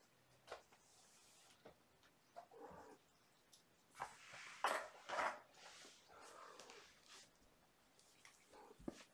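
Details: Young kittens from a litter of five born April 14th to mother cat Gamora, indoors at bedtime during lap and play time; a few short, soft mews, with scattered scuffling clicks and thumps of play between them.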